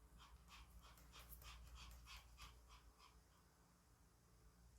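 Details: Indoors, a fearful puppy called Yeoreum, hesitant in an unfamiliar part of the home, gives rapid rhythmic panting, about three soft hissing breaths per second, fading toward the end against a quiet background hum.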